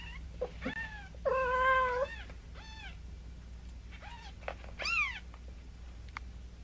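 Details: Cats from a compilation of a mother cat carrying kittens: a drawn-out wavering meow, then several shorter descending mews and a final rising squeaky cry, close and loud over a low indoor hum.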